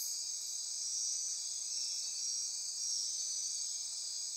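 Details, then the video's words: Midnight insect chorus from rainforest on Costa Rica's Osa Peninsula near Corcovado National Park: a constant shrill wall of overlapping trills and buzzes holding at very high pitch, gently swelling and fading in loudness. "Midnight Insect Chorus"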